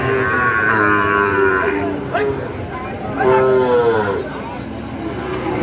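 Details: Two clear moos from Sahiwal cattle, fattened bulls and calves, at Ambari market in Dinajpur on 18 September 2023. The first is long and steady, the second arches upward around the third second. Market chatter continues underneath.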